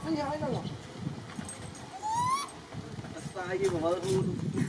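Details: A monkey on Phnom Bros mountain, Kampong Cham Province, Cambodia, searching and calling for his missing grandmother, gives a clear rising whistled coo and a few wavering tonal calls, with people talking nearby.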